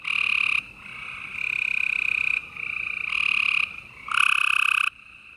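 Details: Spring night chorus of gray treefrogs in Houston, Texas, late April 2020: long rattling trills of about one to one and a half seconds, several males overlapping and alternating, fainter frogs trilling continuously behind.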